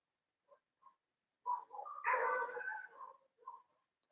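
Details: Several neighbourhood dogs outside in Nepal barking during a live teaching: two faint distant yaps, then a louder burst of overlapping barks and a final short bark, otherwise quiet.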